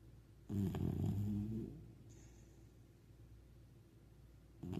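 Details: A comfortable puppy snores in its sleep: one long, low, buzzing snore lasting about a second, followed by quiet, then the start of another breath at the end.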